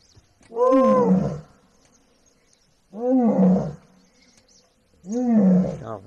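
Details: Asiatic lion in the Gir jungle, Gir National Park, gives deep, moaning roars, each about a second long, repeated every two seconds or so.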